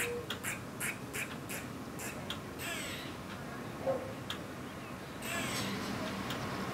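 An eastern gray squirrel gives alarm calls: a run of sharp, clipped kuks, then harsh, raspy drawn-out quaas.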